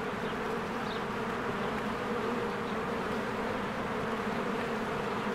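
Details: Honeybees flying around their hive among blooming spring flowers; a steady mass of buzzing wings forms a low, even drone, and a single faint bird chirp sounds early on.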